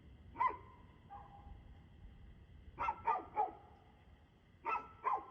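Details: Dog barking, recorded 2 February 2024 at 6:02 pm: a single sharp bark, then a pause, then two quick bursts of three and two harsh, harmonic barks in the last seconds.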